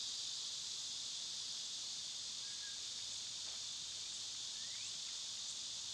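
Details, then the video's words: Cicadas buzzing loudly in summer, an even, sizzling high drone; faint bird notes, including a soft whistle and a quick rising chirp, are barely audible beneath it. "Cicada sounds"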